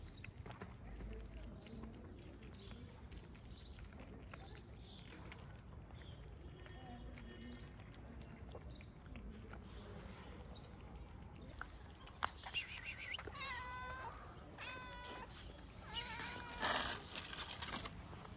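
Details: Stray calico cat with shy, always hungry companions in a mosque garden in Morocco; after a quiet stretch of outdoor background hum and footsteps, several wavering, rising-and-falling meows cluster near the end, with tapping sounds nearby.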